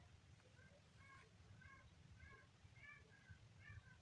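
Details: Kitten calling with a rapid run of short, high, thin mews, roughly two each second, over a steady low rumble in the background.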